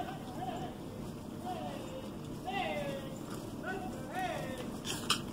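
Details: Louie Ray, a 16-year-old capuchin monkey new to farm life, yells in warning at big cows: wavering, whistle-like cries in repeated bursts, each rising then falling, over steady outdoor background noise.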